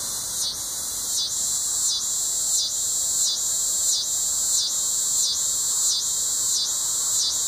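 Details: Neotibicen latifasciatus, the coastal scissor grinder or yodeling cedar sucker, at Sea Isle City, New Jersey, on August 20, 2016: intense, shrill, grinding buzz with regular throbbing pulses about one and a half per second.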